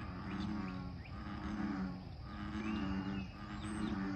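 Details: Low, twanging bullfrog croaks at Lake Fairfax, several in a row, with a short pause near the middle. Light bird chirps and a rising whistle drift above the frogs.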